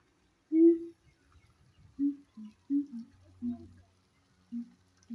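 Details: Siamang gibbons at Honolulu Zoo in 2023, communicating with each other. Short, low hooting notes come singly and in quick pairs at irregular intervals, the first the loudest, over a faint low hum.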